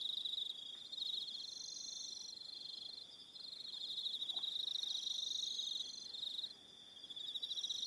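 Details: Evening insect chorus of crickets, Aroha Island, New Zealand; a sustained high pulsed trill that fades and swells, with higher warbling trills layered above and a brief quieter gap midway.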